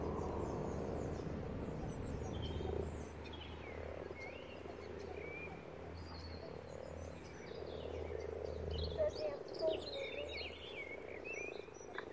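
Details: Common frogs, more than a hundred, spawning in a pond: soft overlapping croaks swell and fade in a constant purring chorus while songbirds twitter and whistle clearly in the background.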